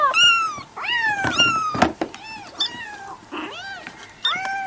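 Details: Domestic cat meowing: a string of short harmonic meows, some rising then falling, several overlapping in quick succession with brief pauses, plus a few faint clicks and knocks indoors.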